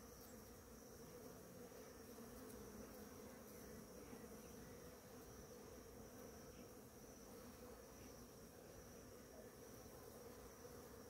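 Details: Morning chorus of many bees foraging on ora-pro-nobis in bloom; a long, even, low-pitched drone of overlapping wingbeats that never pauses, accompanied by a thin steady high whine.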